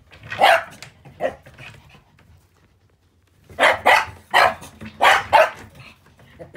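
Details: Puppy filmed on 7 October, barking in short, sharp, high yaps: a few at the start, a two-second pause, then a quick run of about six loud barks.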